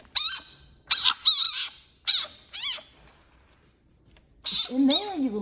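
A fennec fox makes sharp, high-pitched squeals and wavering chirps, each burst rising and falling quickly, repeated in quick succession. A person's voice speaks briefly near the end.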